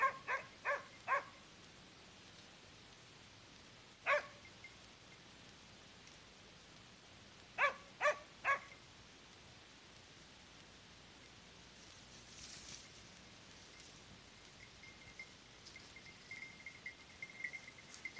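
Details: A hunting dog named Bruno gives loud, sharp barks in short bursts while holding a wild boar at bay during a boar hunt.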